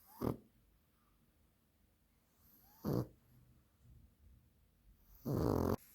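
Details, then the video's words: Dog deeply asleep, snoring like a piglet: three short, harsh snorting breaths, the last one longer and louder, separated by quiet breathing. "ХРАПИТ КАК ПОРОСЕНОК"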